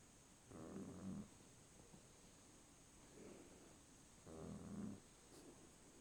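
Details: Sleeping dog snoring, two loud rasping snores about four seconds apart, each lasting under a second, with quiet breathing between them.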